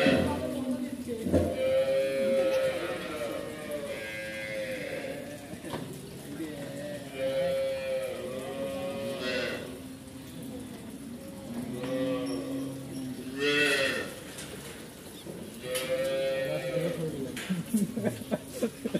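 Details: Cows on a dairy farm in Savar, Bangladesh, raised for milk and beef, mooing repeatedly: several long drawn-out harmonic lows, some rising then falling, overlapping from more than one animal, with faint human voices.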